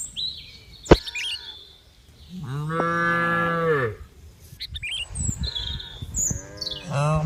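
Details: Several cows: a sharp click, then one long, even moo that holds steady for about a second and a half before dropping away. Chirping birds sound in the background.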